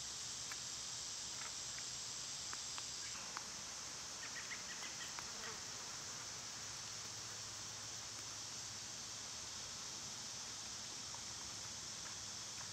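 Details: Summer cicadas keep up a continuous high-pitched buzzing wall of sound, loud this time of year, while scattered short bird-like chirps and ticks break through in the first half.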